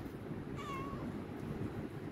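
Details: Himalayan cat begging for food lets out a short, quieter meow, a brief level tone that fades out, set against steady low rumbling background noise.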